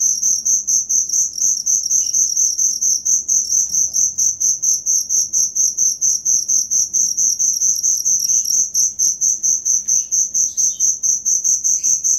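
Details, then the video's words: Cricket chirping in a continuous high, pulsing trill, roughly two beats a second, used as training material for songbirds; a few faint distant bird notes and soft low noise behind. "Suara Jangkrik asli"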